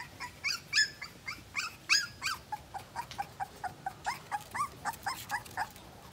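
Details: High, wavering whimpers from a two-week-old Siberian Husky puppy, repeated roughly every third of a second, louder and sharper at first and then softer and lower, with a faint background hiss; a voice says hello just afterward.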